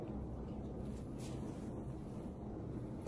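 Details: Dense low-pitched rumble of wind and engine-like noise fills the short stretch, with no animal voice heard.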